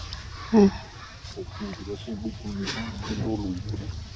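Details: Baby monkey Jovi cries while left alone by young mother Joyce: one loud, tonal, wavering wail, then a run of short harmonic whimpers. They repeat at an uneven pace over low rumbling outdoor background noise.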